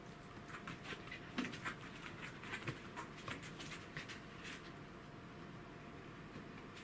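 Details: Rapid, uneven breathy panting from Roku the Welsh Corgi, who shares the scene with Kuro the cat; faint clicks and a steady background hum run underneath.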